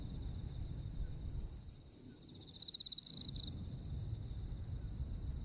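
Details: Japanese autumn insect voices: a thin, sustained high trill with rapid ticking pulses, one louder buzzing surge near the middle, set against a low, even rumble.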